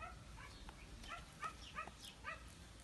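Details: Small puppies playing, giving short, high, squeaky yips and little barks in quick succession, several within a few seconds, over a quiet background with a person's voice nearby.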